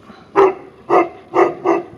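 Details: Tibetan Mastiff in St Petersburg, Russia, barking at its reflection: four booming barks in two seconds, the last two closer together, with no other sound.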